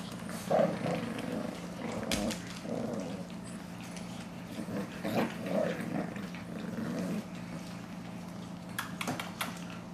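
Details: Shih Tzu puppies playing together indoors, giving short soft growls and a few brief high yips scattered through the clip, over a steady low electrical hum with occasional sharp clicks and taps.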